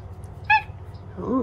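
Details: A pet cat, one of a pair named Omusubi and Ace, talks a lot in the morning while seeking affection. A single brief bright meow rings out, followed by faint low voice-like sounds over a background hum.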